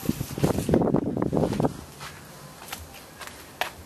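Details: A short burst of low, muffled speech, then quiet background with a few faint clicks and no animal call.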